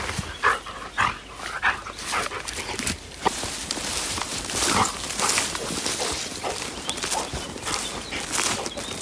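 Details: On an outing to the Sylvenstein reservoir in Bavaria, the Labrador Cedric pants in loose, irregular breathy bursts, some sharper huffs early on, over steady outdoor background noise.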